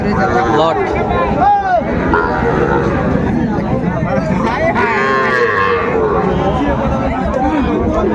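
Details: Sahiwal bull calves at a cattle market in Chapainawabganj, Bangladesh, on 19 September 2024. Several drawn-out lowing moos rise and fall between the voices of traders bargaining over prices, with steady crowd chatter behind.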